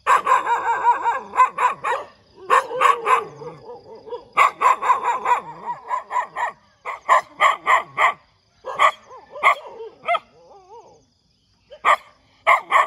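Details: Persistent morning barking by a dog, dense and almost continuous: fast, irregular strings of harsh barks, some yelping, with only brief silences toward the end.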